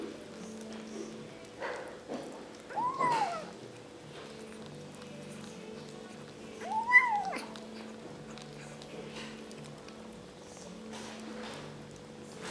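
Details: Indoors, kittens eat and talk at each other: two short, arched mews spaced about four seconds apart, thin and soft, with a constant low hum and light rustling between them.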